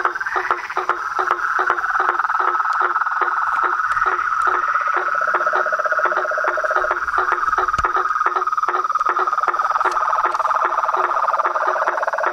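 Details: Dense amphibian chorus of frogs, toads and treefrogs: an unbroken shrill trill, a lower droning call joining midway, and scattered quick clicks across the whole stretch.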